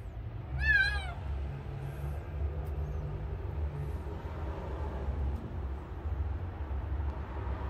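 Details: Stray kitten, its crying sound traced to its source. One clear rising-falling meow near the start, then a steady low rumble fills the rest.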